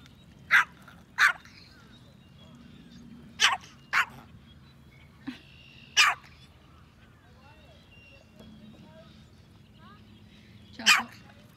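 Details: Yorkshire Terrier named Choco, a pet yorkie that loves to fish; six sharp, short barks in uneven pairs and singles, two quick ones early, a pair mid-way, then one after a long gap, over a low steady hum.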